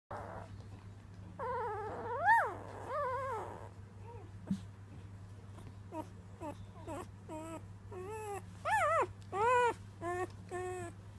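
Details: A three-day-old female Weimaraner puppy "sings" with high, wavering squeals that rise and fall like a tiny howl.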